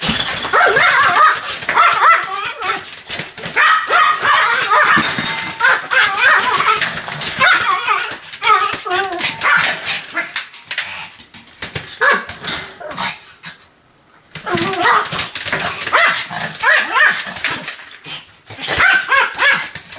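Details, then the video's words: Pet Pomeranian Sam barks nonstop: rapid, shrill yaps at more than three per second in uneven bursts, with human voices mixed in and one brief lull midway before the barking resumes. "犬の鳴き声 ポメラニアン サムちゃんの連続吠え集"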